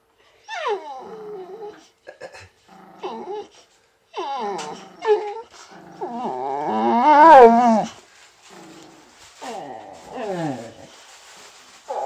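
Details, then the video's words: Tiny visiting Chihuahua bossing big Boxer Rex, a Swedish male boxer who only wanted to play, and making him stand back. Repeated harmonic, whiny growls with falling pitch and short gaps, swelling into a louder wavering cry midway. "Tiny Chihuahua Bossing Big Boxer Rex"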